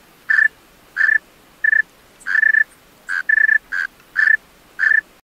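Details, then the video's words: Male tree cricket singing at night: clear, steady-pitched chirps, each a short pulsed burst, repeated irregularly about every half second, nine chirps in all, over a quiet background. "Male Tree Cricket Singing Songs-Tree Cricket Sounds-Tree Cricket Call - Tree Cricket Sounds at Night"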